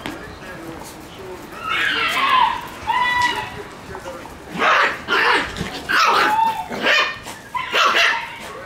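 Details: Noisy Shiba Inu puppies yapping: a drawn-out, high yelping bark early, then a run of five or six sharp, high barks spaced under a second apart, with human voices mixed in.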